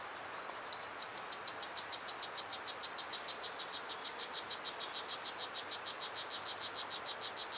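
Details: Strawberry poison dart frog, known as Blue Jeans, at Pierella Ecological Garden: a tiny one-inch frog whose high buzzy chirps fade in, then repeat steadily about four times a second over a soft hiss of background noise.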